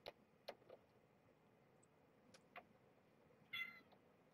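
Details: Domestic kitten, one of five born November 22nd, 2014 to the rescued stray Marge, 17 days old, woken from nursing in its sleep; a brief high mewing squeak near the end after scattered clicks and rustles, quiet room.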